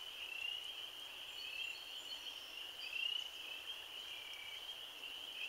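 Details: Spring peepers in their first chorus of spring on April 15, 2013: a dense, unbroken band of high, shrill peeping from many frogs blending into a steady ringing wash, with a few louder individual rising peeps standing out.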